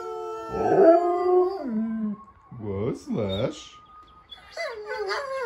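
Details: A Siberian Husky that normally never howls gives wavering, yodel-like howls sliding up and down in pitch, howling along to talking dogs in videos on a screen.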